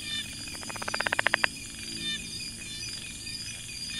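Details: Rapid accelerating series of about a dozen clicks that grow louder to a sharp final note, from a brown tree frog in a rice field near Chiang Mai, Thailand, with insects whining in the background.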